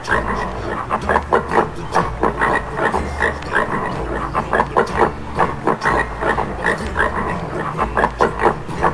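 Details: Swedish wild boar giving rough, rapid grunts and snorts over a steady low droning hum.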